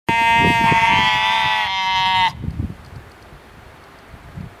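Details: Sheep bleating: one loud, steady, nasal bleat lasting about two seconds with rich harmonics and a slight wavering, then cutting off to quiet background rustling.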